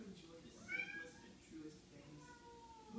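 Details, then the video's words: Indoor house cats calling as if wanting to gather the pack: a drawn-out harmonic meow sliding down near the start, followed by fainter wavering meows, with a person's voice asking what is wrong. "Cats want to gather the pack"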